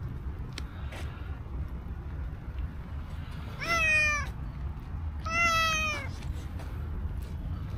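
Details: Black-and-white stray cow cat coming up to a person, uttering two short meows about a second and a half apart, each bending slightly downward in pitch, amid steady low outdoor rumble.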